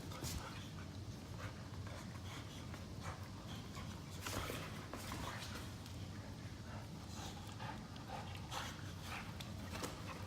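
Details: Two pet Boxer dogs play-fighting lazily on a couch after chasing each other. Steady rough panting and breathy snorts run throughout, with scuffling and soft thumps of bodies on cushions over a noisy indoor background.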